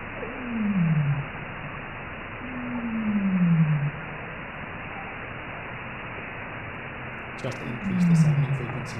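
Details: Baleen whale social calls played back to an audience, possibly sped up so the low tones carry on speakers: three deep, smooth downward-sweeping moans about a second long, spaced a few seconds apart over steady low rumble, with brief speech at the end.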